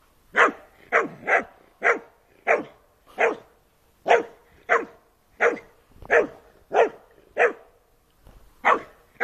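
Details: A Doberman plays with a white Staffordshire Bull Terrier; a steady run of about fifteen sharp, mid-pitched barks, roughly one every half second, with no other sounds.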